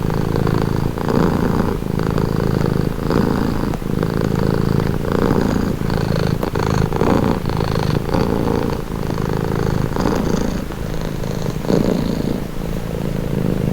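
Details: Cat purring close up, a deep buzzing rumble pulsing with each breath roughly every second, even and continuous.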